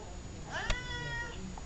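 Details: Vocal pet cat, talkative as always, making one meow that swoops up and levels off, with a sharp click partway through and a faint soft noise afterward.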